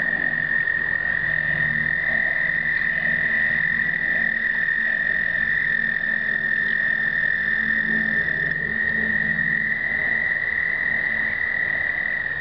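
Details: American toads in a 2009 explosive breeding event, many males calling together in a steady, high musical trill.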